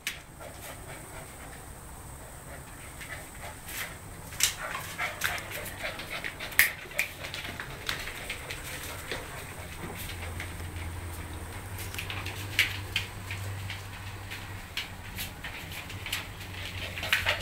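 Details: At home, 10-week-old Siberian Husky Riley wrestles Will, a one-year-old German Shorthaired Pointer, trying to become the dominant dog. Breathy panting and sharp snapping scuffles run throughout, with a low steady hum and an occasional human voice cheering the play.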